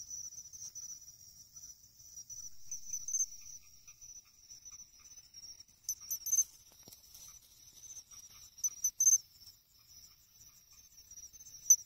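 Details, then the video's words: Pine cricket singing in August at an irrigation pond in Ehime, Japan, its song rendered chinchirorin; a steady high insect trill underlies sharp, bright chirps that come in clustered bursts near the middle and end. "ため池でマツムシを探す！チンチロリンって実際どんな声？？ Pine Cricket Sounds"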